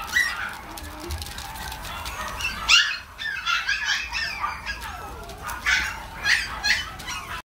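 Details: Mixed-breed puppy, shown for viewing at a breeder, giving short high yelping barks in bursts around 3 and 6 seconds, with soft background music throughout.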